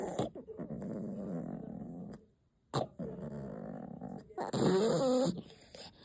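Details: Shasha, a pet dog protecting her chew indoors, keeps up long, low rumbling growls broken by a short pause, ending in a higher, wavering whine-growl.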